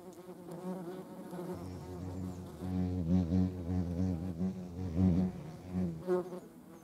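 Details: Wasps (yellow jackets) collecting protein for their larvae: a loud, rough buzzing drone, deepest and strongest in the middle seconds, pulsing in intensity as an insect hovers close.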